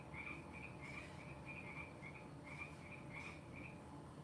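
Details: Distant frogs calling after returning at the end of frog season: short chirped notes in a brisk, steady run, some slightly louder, set against a constant low hum and faint room noise.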